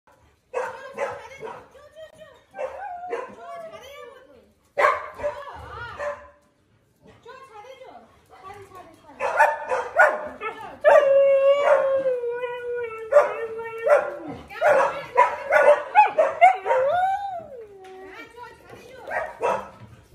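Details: Siberian Husky howling at home in the morning amid sudden household chaos; long wavering tonal howls, one held and slowly falling, broken by shorter yelps and gaps, with human voices mixed in.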